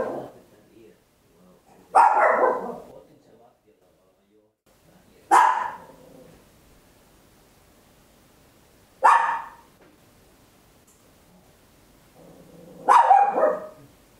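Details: Papillon, a small dog, barking loudly at home, recorded in stereo on a handheld recorder; four sharp, bright barks spaced several seconds apart with quiet pauses between them.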